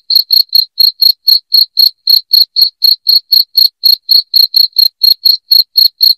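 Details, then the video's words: Shrill cricket used to repel rats indoors, chirping in a relentless, even rhythm: about twenty-five crisp, high-pitched pulses at close to four per second, clean and free of background noise. "SUARA JANGKRIK NYARING PENGUSIR TIKUS"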